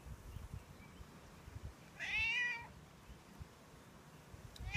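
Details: Stray male cat living outdoors, begging for milk as part of his daily routine; a single bright, wavering meow sounds once in the middle, with quiet ambient noise and the start of another cry at the end.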